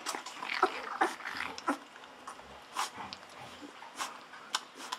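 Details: Two-week-old Golden Retriever puppies drinking milk from a bottle; a few brief squeaky whimpers early, then mostly repeated wet sucking and smacking clicks roughly twice per second, indoors.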